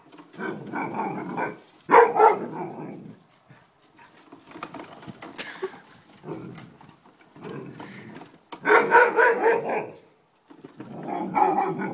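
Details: An Alaskan Malamute reacting to a lawn mower gives drawn-out, wavering woo-woo calls in several bursts, a few seconds apart.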